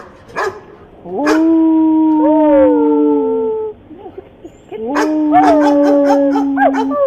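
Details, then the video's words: Dog letting out a sharp bark, then a long, steady howl that sags slightly in pitch, a short break, and a second long howl mixed with quick barks. "Dog barking"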